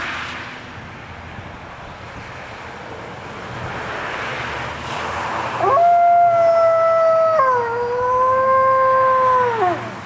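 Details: Alaskan Malamute howling at fire truck sirens: after a noisy start, a loud, sustained tonal howl begins near six seconds, holds steady, then drops to a slightly lower wavering pitch before trailing off; faint siren-like background.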